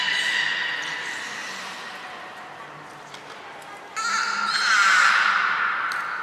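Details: Captive beluga at Port of Nagoya Public Aquarium on 23 February 2021, during pool transfer and training with Hodoi, Taanya and Mirai; a steady high whistled tone holds, then a louder burst brings a wavering, warbling squeal with bright overtones.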